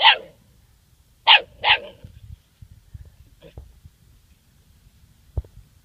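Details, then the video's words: Seven-week-old German Shorthaired Pointer puppy named Duke, facing his first dead bird, lets out three shrill barks in quick succession, the last two close together, followed by soft shuffling and small sounds. "German Shorthaired Puppy 1st Bird"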